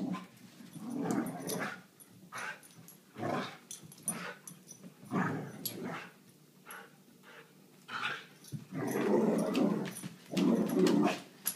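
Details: Mia, a Vizsla, playing with a toy, gives rough, throaty growls and grunts in short irregular bursts, several per second, with pauses between them and a louder, longer growling stretch near the end.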